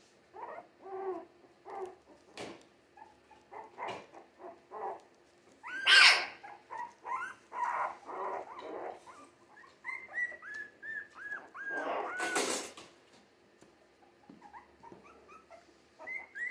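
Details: Young Jack Russell Terrier mix puppies, three weeks old and born 17 December 2020, make quick soft yips and squeaks, then a run of arched whines and a loud sharp squeal near the end.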